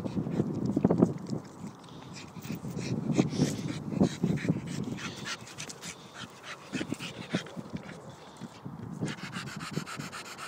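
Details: A playing Staffordshire Bull Terrier pants in quick, irregular huffs, with snorts and faint whimpers mixed in.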